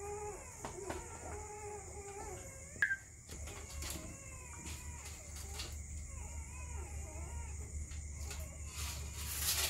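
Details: Belgian Malinois puppies in Mumbai, India, whining in thin, wavering, high-pitched cries that rise and fall, several overlapping in a steady run of short whimpers over a low constant hum, with a sharp click near the start.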